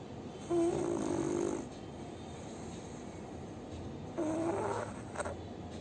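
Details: Sleeping pug Bhuri snores in two long raspy bursts with a nasal, whistly edge, each about a second long, separated by roughly three seconds of quiet.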